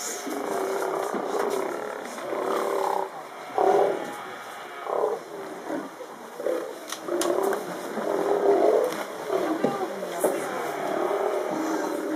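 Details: Steller sea lions in Canada give deep, rough, overlapping growls and roars in bursts of a second or so.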